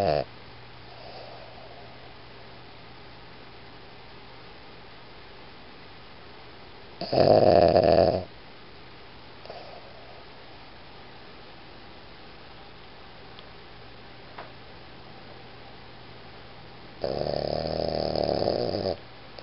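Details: Boston Terrier named Iggy snoring: two loud, rasping snore bursts of about one to two seconds each, roughly ten seconds apart, with quiet room hush between them.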